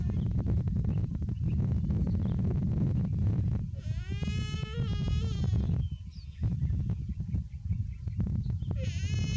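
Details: A young buffalo described as too hot calls with one long, wavering, bleating cry in mid-clip, and a second cry begins at the very end. Heavy low-pitched rumble and clicks continue throughout.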